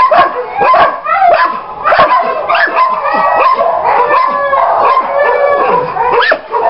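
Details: German Shepherd dog giving a rapid, uneven run of sharp barks and high yips, with some whining tones, about one and a half calls a second and loud throughout.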